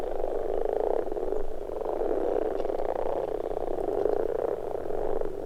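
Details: In spring in Finland, male common frogs gathered at a pond croak together in a dense, low purring chorus of overlapping grunts during spawning, calling to attract females and rival males.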